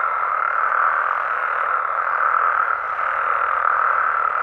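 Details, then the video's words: Mexican frogs and toads heard at night in the wild, producing a thick, constant chorus of mid-range croaks that blend into a seamless hum, gently swelling and easing in loudness. "Mexican Frogs & Toads Sounds"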